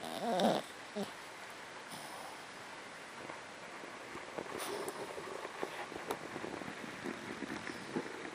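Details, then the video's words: Asleep after a long day of play, MuMu the female dog gives quiet, rough snores in a loose rhythm, low and breathy against a constant background hiss, with a brief burst of noise near the beginning. "MuMu Snoring!"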